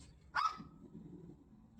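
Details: A female house dog barks once indoors, a single sharp, bright, abrupt bark that fades into low room murmur.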